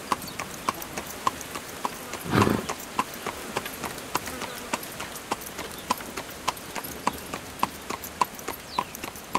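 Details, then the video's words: Horse pulling a carriage, hooves clip-clopping in a steady, fast rhythm of a little under two beats per second, each strike carrying a bright ringing ping, with one brief breathy burst midway. "Horse Carriage Sound"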